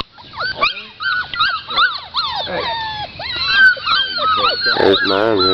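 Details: Several Pit Bull / Boxer mix puppies whine in a rapid, overlapping string of high, thin whimpers that rise and fall, some cracking into squeaky yelps, while a man calls to them and tells them to take it easy.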